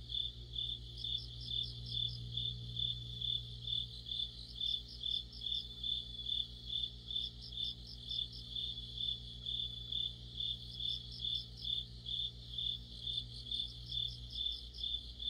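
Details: Crickets and other insects in an autumn chorus, a regular piercing pulse about twice a second with intermittent groups of fast higher trills, over a low steady hum that fades and returns.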